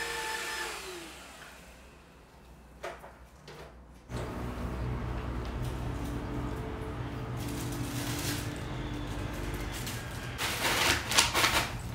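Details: An indoor motor-like hum with steady tonal drones and some music-like tones swells louder after four seconds, and no animal voice is heard.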